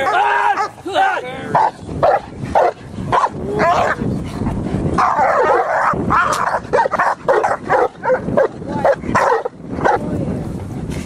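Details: Dogs during protection training, possibly Cane Corso, Presa Canario or Pitbull, barking in rapid harsh bursts throughout with a man's shouted commands and voices mixed in.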